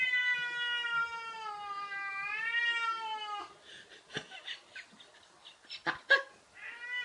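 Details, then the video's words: Domestic cat indoors confronting a cat-shaped balloon moved by a man: a long, loud, wavering meow of over three seconds, followed by rustling, bumps and scratching sounds. "Real cat attacks balloon cat"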